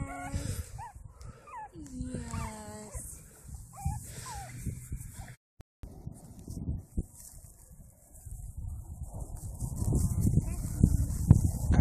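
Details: Japanese Chin puppies in Colorado, black and white males: a few high, wavering whimpers and whines in the first three seconds, then low rumbling handling noise and a person talking.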